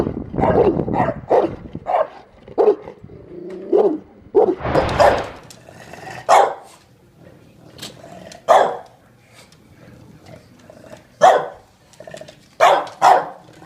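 An English Bulldog gives short, gruff barks, several in a row and then spaced a few seconds apart.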